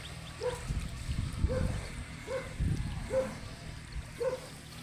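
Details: In a village scene with buffaloes bathing in water and grazing, a dog barks in short, clipped yelps about once a second over a low rumble of water and wind.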